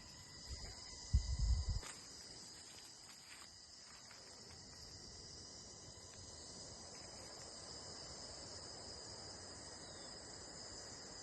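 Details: Crickets in a natural outdoor setting: a faint, steady high-pitched continuous trill layered in even bands, over low wind rumble, with a brief loud thump near the start.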